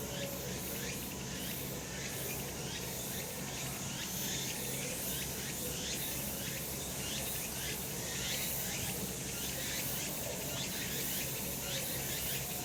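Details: Cicadas singing in the summer sun on a mountain, an intense high-pitched buzzing chorus that throbs in steady pulses about every second, dense and continuous from start to finish.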